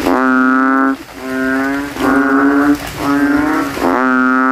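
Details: Banded bullfrogs in a rain puddle at night, rival males puffing their throats and trying to outcall each other; steady, nasal, bass-rich drones roughly a second long, broken by brief gaps.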